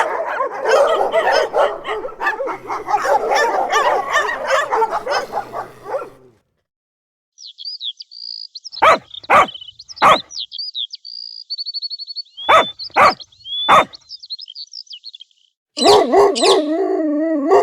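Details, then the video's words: Dog barking in a children's farm-animal sounds lesson: a dense stretch of rapid barks, then sharp single barks in groups of three, with high chirping whistles between them and a droning harmonic call at the end. "farm animals sound for kids cow,dog,lion sheep"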